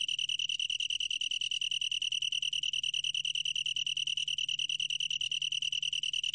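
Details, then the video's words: Continuous song of a long-tailed tree cricket from the National Institute of Biological Resources, 2020: a bright, high-pitched trill of quick, even pulses running throughout, over a faint low hum. "긴꼬리, 여러번 듣기, 곤충소리"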